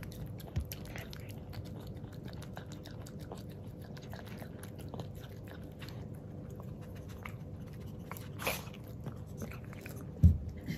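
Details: Male Miniature Pinscher Jiro, black and tan and born in 2019, tries plain yogurt for the first time indoors. Soft, rapid lapping clicks run steadily through, ending with a louder knock near the end.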